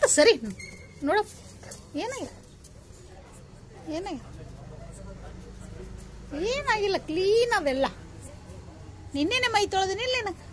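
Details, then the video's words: Zoey, a Labrador, whining in jealousy: high, wavering whimpers that rise and fall, in short bursts with longer warbling runs near the end, while a person talks to her and repeats commands to sit. "#zoey #labrador #jealousy"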